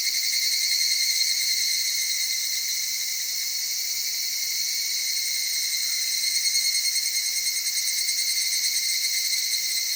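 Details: Evening cicada calling at dawn or dusk among cedar forest and mountain streams in Okutama, western Tokyo, Japan; an unbroken thin, high ringing drone with faint rhythmic pulsing at start and end.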